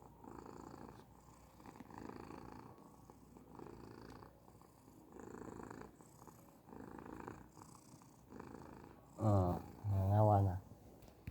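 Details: Persian cat purring steadily, a low throbbing rumble rising and falling in regular breath-length pulses, each about a second apart; near the end two short, louder, tonal vocal sounds with a wavering pitch break in.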